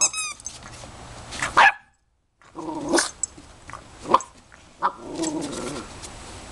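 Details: Puppies, tied to the name Daisy, giving short sharp yips and barks in separate bursts, one after another over a few seconds, with a brief high squeal at the start and a moment of silence in between.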